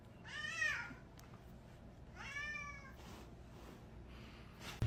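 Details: Two quiet, short meows from an indoor cat, each rising then dropping in a soft arc, spaced nearly two seconds apart over a faint room hum.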